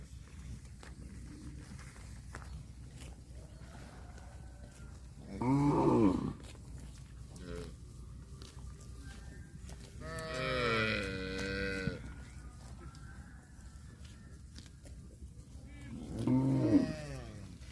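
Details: Cattle mooing: three drawn-out harmonic calls, the middle one longest at about two seconds, spaced roughly five seconds apart over a steady low background rumble.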